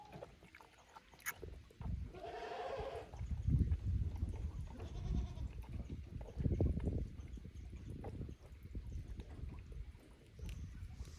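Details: On 15 May 2024, young goats at Yoshigake Farm, Japan, roam an unfamiliar upper pasture. A single quavering bleat at two to three seconds, a fainter one after, amid steady low rumbling and handling noise.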